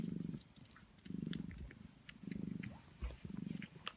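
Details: Sphynx cat Prune purrs while feeding greedy 16-day-old kittens, a deep pulsing rumble in four swells about a second apart, soft suckling and smacking noises scattered through the pauses.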